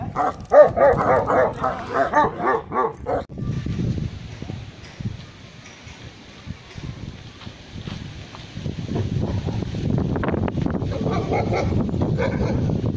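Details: Kennel dogs, Tibetan Mastiffs and Gaddi dogs, in Khanna, Punjab, India: a quick run of loud, rhythmic barks lasting about three seconds, then low murmuring, people talking and rustling noise for the rest.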